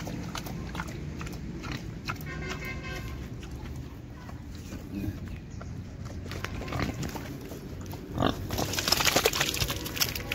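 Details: Pigs on a farm in Assam give repeated short grunts and snorts through steady low farm noise, with a few louder bursts near the end.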